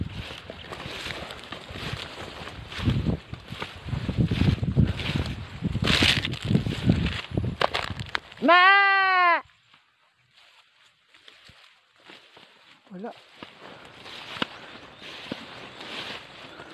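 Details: Goat kid at risk of being left behind by its mother gives one loud, clear, arching bleat of about a second midway through, after a stretch of dense rustling and handling noise; a faint short call follows later amid quieter background.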